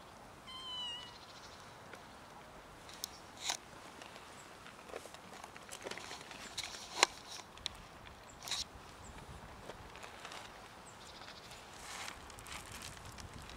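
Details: Street cats, with a new little kitten among them, gather outdoors to be fed; one short harmonic meow sounds near the start, followed by scattered soft clicks and taps like eating noises against a quiet background.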